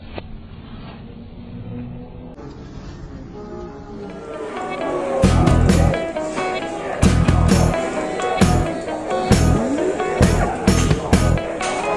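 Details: Loud music with a heavy rhythmic beat and engine-like rumble, no animal voice heard.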